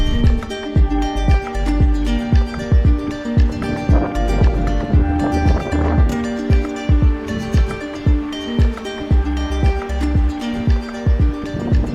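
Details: Rhythmic music with a steady beat and sustained tones plays throughout, with no animal voices. No calls, songs or other creature sounds come through.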